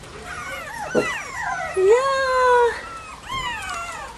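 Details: Bichon Frisé puppies at a kennel whine in high, tonal, wavering cries, one long drawn-out whine rising and then holding steady, with a few shorter sliding whimpers before and after in a quiet indoor setting.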